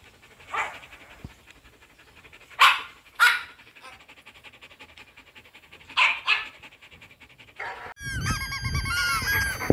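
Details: A female black-saddle German Shepherd, reacting to recorded dog barking and howling played to her, gives sharp, separate barks, some in quick pairs, before a rich, tonal whine.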